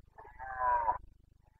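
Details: Carpathian stag in rut, Bucovina, 29 September 2022: a single sustained bellowing roar of about one second, rising in strength to a hoarse peak before stopping abruptly, with a steady low pulsing hum underneath.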